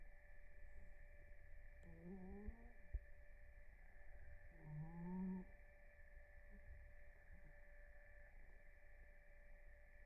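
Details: A domestic cat named Blue snoring during REM sleep. Two whistling, nasal snores about 1.5 seconds long come roughly three seconds apart, each with a slightly rising tone. A steady electrical hum sounds indoors.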